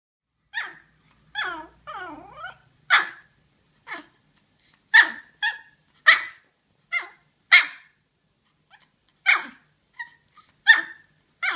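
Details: Yorkshire Terrier, indoors, vocalizing as if trying to tell something: a run of short, sharp, high-pitched barks spaced irregularly, mixed with a longer wavering whine-like yodel near the start; no other sounds.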